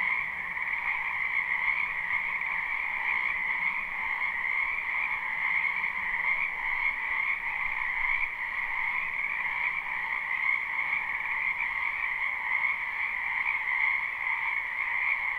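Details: Many frogs croaking in a wetland in spring, recorded live without looping: a dense, continuous chorus with steady bands of trilling sound, no single caller standing out, no other sounds.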